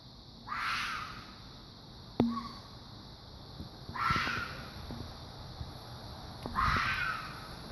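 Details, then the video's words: Fox giving three harsh, raspy screeching calls a few seconds apart, each a short hoarse burst, with a couple of sharp knocks or clicks in between over quiet background hiss. "Fox making a strange noise"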